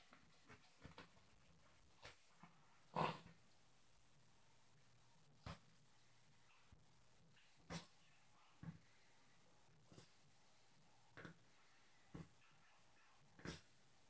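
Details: Indoors, the pet Yorkshire terrier Ronnie plays in his bed, attacking his pillow and trying to wreck the bed. Scattered huffing snorts and short growly bursts recur irregularly, the loudest near the start, over a quiet room.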